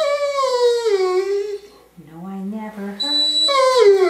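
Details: Ten-year-old female Curly-Coated Retriever indoors singing along to a person's rendition of "Till There Was You" as part of her nightly repertoire: drawn-out howls that slide slowly downward, alternating with steadier, lower sung human notes.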